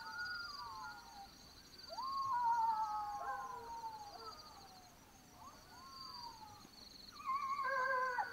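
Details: Black-backed jackals calling at night in Botswana, falling wails and short rising yelps in bursts separated by a quiet gap, a final cluster of sharp yaps near the end, insect trill behind.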